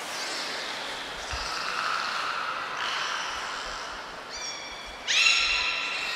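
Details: Captive beluga named Niko during a training session at Port of Nagoya Public Aquarium, Japan, on 25 February 2024; steady hissing background, then two short, clear harmonic whistles near the end, the second louder and brighter.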